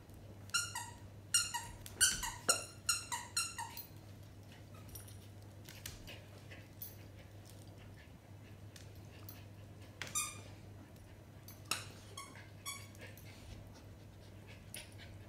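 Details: Schipperke puppy Clinker, five months old, playing indoors with older German Shepherd Grimlock, who is teaching her the hierarchy: a run of sharp, high, downward-sliding yelps in quick bursts early on, then scattered single squeaks over a steady low hum.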